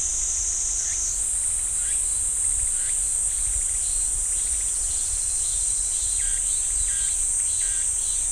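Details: Pine-forest cicadas at Ssanggyesa temple, Jirisan National Park: an intense high whining drone that steps up in pitch after the first second, overlaid by a series of short swooping notes.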